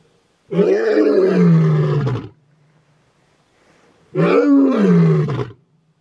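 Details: Two loud, deep roars from a male lion, each lasting under two seconds with a strained rise then a falling, throaty tone, separated by a short pause of near silence.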